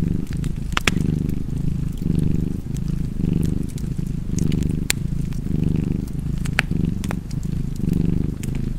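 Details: Steady rhythmic rumbling of a purring cat, pulsing in and out close to once per second, under irregular sharp snaps of a fireplace fire.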